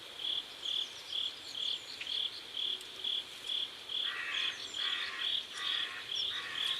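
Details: Crickets at sunset beside a river in South Korea, chirping in an even high-pitched pulse, joined in the second half by a lower, raspy buzzing insect in regular bursts.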